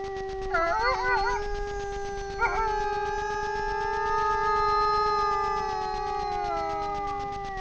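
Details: Night chorus of a grey wolf pair at a Czech camera trap in Frýdlantsko; one howl opens with wavering, yodelling warbles, then settles into long sustained tones as a second wolf joins, pitches drifting slowly downward.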